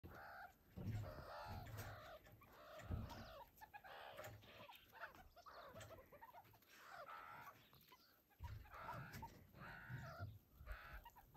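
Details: Young meerkats wrestling and playing tag give a busy stream of quick, squeaky chirps and clucks, several voices overlapping in uneven bursts every second or two, with soft scuffling underneath.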